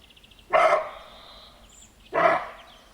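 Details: A deer barks at night in the woods, giving two short, harsh, dog-like barks about one and a half seconds apart; a faint, steady, high drone and thin chirps run behind them.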